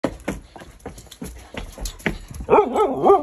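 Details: Siberian Husky puppy talking while playing: after a run of soft thumps and clicks, a loud wavering, yodel-like vocalisation rises and falls rapidly in pitch for the last second.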